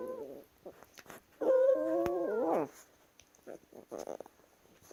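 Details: Chihuahuas wrestling indoors make funny noises: short nasal whining yelps, then a long sustained harmonic whine lasting about a second, followed by choppy grumbling vocal bursts and small thumps in a small room.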